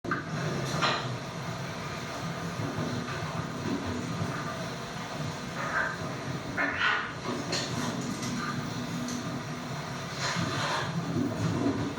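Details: Steady rumbling, clattering background noise with occasional soft knocks and faint voices, and no clear animal calls.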